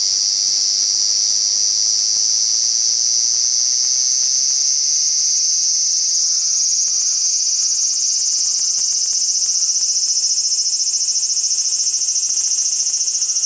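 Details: Large brown cicadas in a dispute keep up a loud, continuous, sizzling buzz, while faint short chirps from another creature repeat quietly in the middle section.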